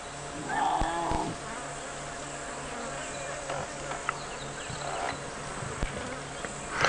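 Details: Lion cubs of the Nkuhuma Pride give short, wavering mews near a carcass-scented area on a late-afternoon safari drive, 21 November 2016, over an idling engine's low drone.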